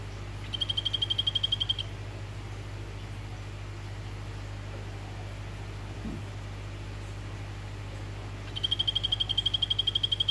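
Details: Male orange Golfodulcean poison frog, Phyllobates vittatus, calling a female, giving two high, fast pulsed trills of about a second and a half each, separated by a long quiet stretch with constant low-pitched hum behind.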